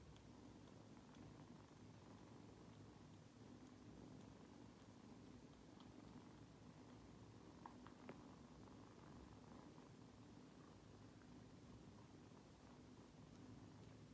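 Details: Purring from the British kittens of Kylie alongside the cat Cristal, indoors: an even, low rumbling purr runs unbroken for the whole stretch, with a few faint clicks near the middle and soft room hiss.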